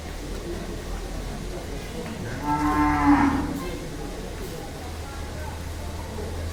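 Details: A very large, heavyweight Damur cow shown at a cattle farm for Qurbani 2022 gives one drawn-out, low harmonic moo lasting just over a second, swelling then fading, over a steady low hum and faint background murmur.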